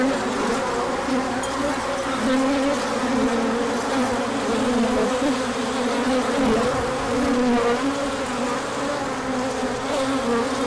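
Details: Orientation flight of numerous bees in sunshine after a colder period, March 2024, with pollen coming in afterwards; continuous layered buzzing hum, steady in loudness, with faint clicks over the drone.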